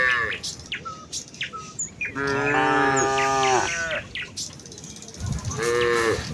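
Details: Village cows walking together toward the fields in the morning, calling out: one long, steady, harmonic moo in the middle and a shorter one at the end, with busy bird chirps throughout.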